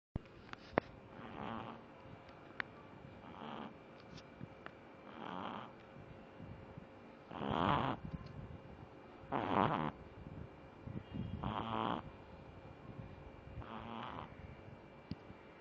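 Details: Pug snoring, a pet dog asleep: rasping snore bursts roughly every two seconds, each a broad breathy rattle lasting about half a second, with quiet breathing between, in a calm indoor setting.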